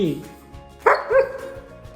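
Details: German Shepherd puppy in the morning, waking its sleeping owner again and again because it wants to be let outside to relieve itself; one sharp bark, then a second softer yelp, over background music.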